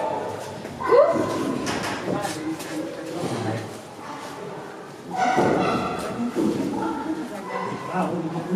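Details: Chimpanzees call loudly with harsh, rising hoots and cries that echo as if indoors, while a father climbs with an orange in his mouth near a mother with a one-day-old newborn.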